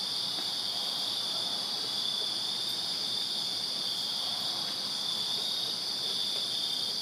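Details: Dense nighttime cricket chorus from a backyard in Virginia in summer: high, continuous overlapping trills holding steady throughout.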